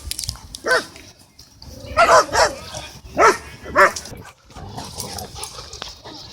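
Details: Dog park scene with a Cane Corso trying to dominate while Bodhi interrupts; a handful of separate hoarse barks, some paired, against steady crowd noise and faint talking.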